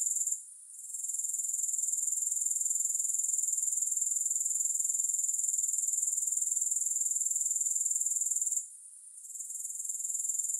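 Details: Grasshopper sounds, music-free, for relaxing: a thin, piercing trill ticks along at roughly four pulses per second, dropping out briefly near the start and again toward the end before resuming.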